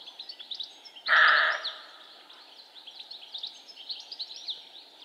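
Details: A male roe deer lets out one loud, gruff bark lasting about half a second, set against a busy chorus of high chirping birdsong that runs throughout.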